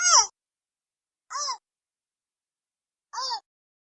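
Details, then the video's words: Three short, whiny squeals from a giant panda cub, the first loudest, spaced about one and a half seconds apart, bending up and down in pitch over a silent background. "貓熊寶寶叫聲 大熊貓叫聲"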